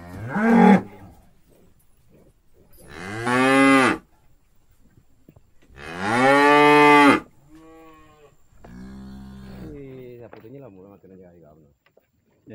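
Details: Tame cow in Indonesia being called with salt water moos repeatedly: three loud, harmonic-rich moos a few seconds apart, each about a second long, then quieter, lower lowing sounds trailing off.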